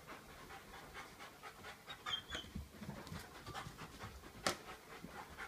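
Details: Pet dog indoors near a goldfish, panting softly: quiet, rapid breathy puffs several times a second over low room noise, with a brief sharp click near the end.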